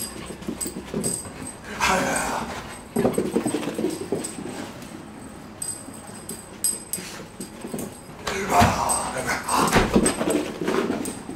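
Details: Excited Whippet puppy being stirred up, with bursts of rough yipping and growly noises in clusters, a louder flurry near the end, and faint human voices mixed in.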